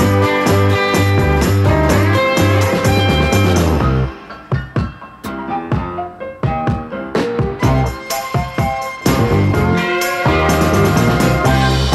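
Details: Guitar-led rock music with steady strummed chords and a slide-guitar line, dipping briefly in the middle before building again, with no animal voices.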